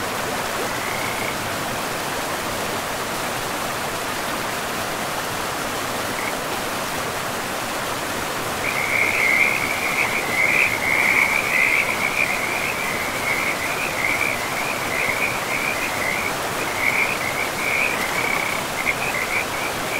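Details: By a river in a pristine forest, frogs give a brief call early on, then from about nine seconds a dense run of rapid trilled notes continues over constant broadband water rush.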